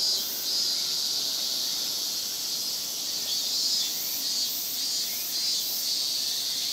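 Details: Cicadas in full summer chorus in Japan (semishigure): a constant shrill high wash of sound, with faint rising buzzes barely showing beneath it.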